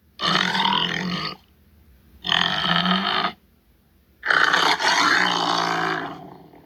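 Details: Tiger giving three harsh, grating growls of about a second each, evenly spaced, the last one louder and longer with a trailing rasp.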